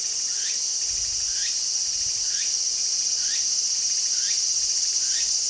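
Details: Walker's cicada, calling actively in a garden, gives evenly spaced rising chirps about once a second against a continuous high whining drone, with a few low thuds.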